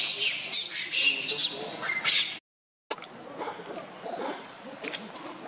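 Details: Baby monkey named Leo crying loudly, hungry and begging its mother for milk; shrill, high, wavering squeals for about two seconds, then a short cut and a quieter stretch with a faint thin steady whine and scattered soft background noises.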